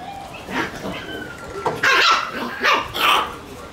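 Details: Shiba Inu puppies being boisterous: a faint whine, then several short, high-pitched yaps in bursts, two close together near the end, over a low indoor background.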